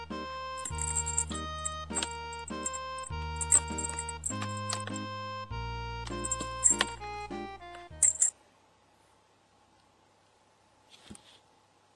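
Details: Bright electronic jingle with layered melodic notes plays for about eight seconds, then gives way to near silence and a single faint click, with no animal voice heard.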